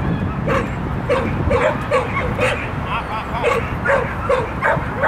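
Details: Lex, a Shetland Sheepdog running an agility jumping course on 12.10.14, barks rapidly and repeatedly, about ten short, sharp yaps in quick succession over constant low background rumble.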